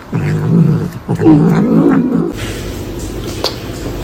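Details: A cat lets out low, drawn-out moaning yowls in two wavering stretches of roughly a second each, then falls quiet under faint background noise and a brief click.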